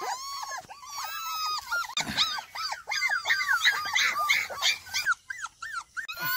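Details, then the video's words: A group of happy kolfi puppies at play in the morning, made to climb out of a pen, yelping continuously: rapid, high, rising-and-falling squeaky barks from several pups at once, some overlapping. "Dog Puppies-Cute Barking"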